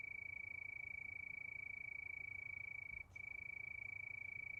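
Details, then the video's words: Night cricket under the moon: a fast, even, high-pitched pulsing trill that stops briefly for a split second near the end, then resumes at the same steady pitch, over soft low background noise. "Sound of Crickets"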